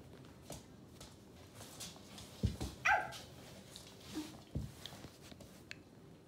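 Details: Miniature schnauzer puppy giving one short, sharp bark midway, with soft thumps and low handling noises around it.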